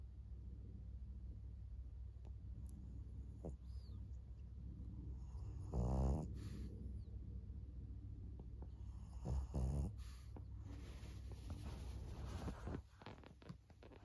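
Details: Elderly female fawn pug Maria, aged 14, in Japan on 26 May 2024, snuffles quietly, then gives two short, low, snorting snores several seconds apart.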